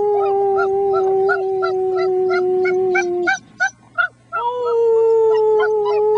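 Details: German Shepherd puppies, six weeks old, howl with a human friend: a long level howl overlaid with quick, evenly spaced yips, a brief pause with two short yelps, then the howl resumes higher and steadier.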